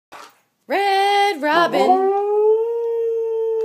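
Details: A male Samoyed howls along when people sing the Red Robin song. After a short soft sound, he gives one long, sustained howl near a single pitch that wavers briefly and then settles into a steady tone.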